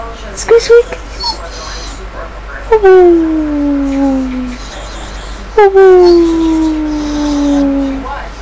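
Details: Female dog 'talking' while a woman answers her. A short yelp is followed by two long, smooth howls that slide downward, each lasting about three seconds. Soft human speech is heard between and under the calls.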